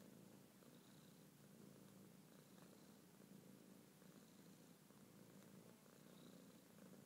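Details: Male house cat purring on a blanket while in a trance-like state he falls into now and then; an even, buzzing purr pulses without a break, with a soft hiss of room noise behind.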